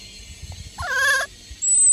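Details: Baby vervet monkey in Mozambique, Africa, from the surrounding jungle, gives a single short, tonal, nasal, mew-like squeal while a person plays with it.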